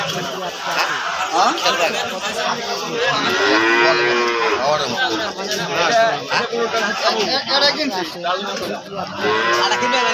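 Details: Friesian calves at the Aricha cattle market in Bangladesh, several bellowing moos overlapping in a dense market din, with people talking and faint music behind.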